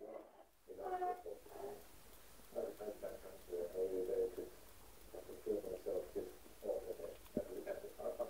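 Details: A whining American Bulldog puppy in a quiet room gives runs of soft, moaning whimpers and grunts. The sounds come in clustered bursts after a short rustle at the start, with a faint knock near the end.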